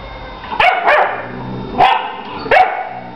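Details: Dogs Lady and her female puppy Ursa 'talking' in dog language: four short, sharp barks, some with a rising whine-like tail, spaced unevenly over about three seconds.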